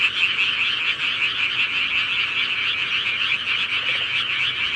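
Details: Countryside frogs calling together in a dense, unbroken chorus of rapid trilling croaks, a steady high shimmering wall of sound with no pauses.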